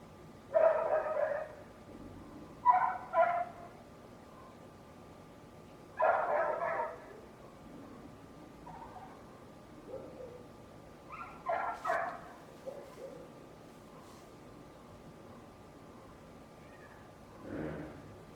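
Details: A neighbour's loud dog barking in short bursts of two to four rough barks, about five bouts spread over eighteen seconds with quiet gaps between them and a faint background hum.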